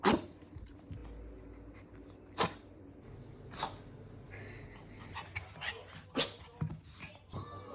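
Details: Ponta the Pomeranian lets out a run of sneezes, each one an abrupt explosive burst, roughly four loud ones at uneven gaps of one to three seconds, with soft snuffles and sniffs between them.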